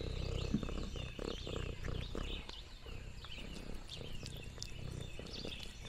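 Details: Orange tabby cat Lexi purring on a rural farm: short low rumbling purr phrases broken by crunchy chewing sounds, while wild birds twitter and chirp overhead in the countryside.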